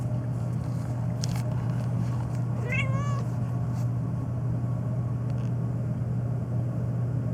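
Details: Phoebe, a black pet cat, meowing during a long nonstop rant, noted for meowing especially in reaction to sneezing; a single rising-then-falling meow with a wavering tail, over a constant low engine-like rumble and a few faint clicks.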